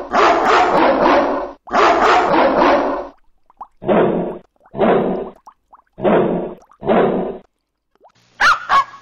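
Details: Dogs barking hard and fast: two long bursts of rapid, harsh barks, then four separate deeper barks about one second apart, and a short high yelp at the end.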